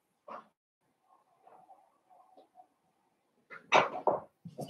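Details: Blenheim Cavalier King Charles Spaniel puppies in an indoor puppy pen, from a litter of five born at New Year's; soft, low whimpering murmurs at first, then a sudden burst of loud, sharp yips and short barks.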